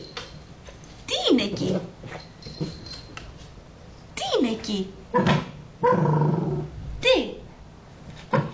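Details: Patrick, a Cavalier King Charles Spaniel, indoors trying to catch tiny pieces of a stress ball, gives a couple of sharp whines that sweep downward in pitch, while a woman talks in Greek almost throughout.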